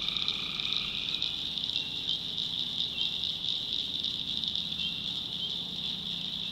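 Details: Tree frogs calling at night in the backwoods swamp of North Carolina: a dense, unbroken high-pitched trilling chorus with a harmonic droning note near the start and soft low pulsing calls beneath.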